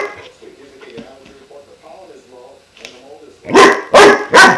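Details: Klaus, a 5-month-old German Shepherd puppy, faces his new water buffalo horn indoors: low grumbling vocalizations and soft whines give way to three loud, sharp barks in quick succession at the end.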